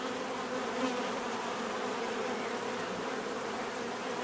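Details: Bees humming in a natural setting: a dense, steady drone with bands near 250 and 500, continuous and even in loudness, no pauses, many insects blending into one buzzing wash.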